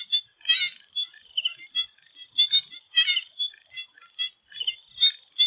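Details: Swamp frogs calling together before sunset in Thailand: dense clusters of sharp, high chirping notes and quick trills, several voices overlapping, over a constant thin high-pitched buzz.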